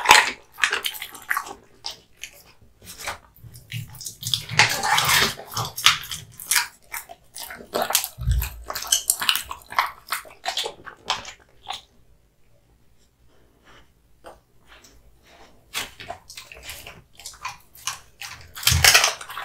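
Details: Kotetsu, a male American Bully born 2016, chews raw meat and bones hanging before him. Dense crackling bites and crunches fill the first half, thin out to sparse clicks, then return loudly at the end.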